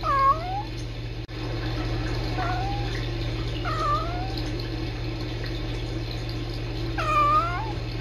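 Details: Two young rescue kittens chatting with one another: several brief upward-sweeping chirrups and soft trilled meows spaced a few seconds apart, with a constant electrical hum and a sharp click in the room.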